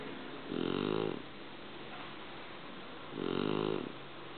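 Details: Sleeping Shar Pei snoring: two drawn-out, raspy, humming snores, each about half a second long, about two and a half seconds apart, with quiet breathing hiss between.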